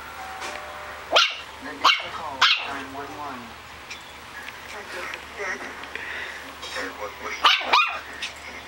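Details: Puppy giving short, sharp, high-pitched yaps, three spaced about half a second apart, then a pause and two more close together near the end, with people talking in the background.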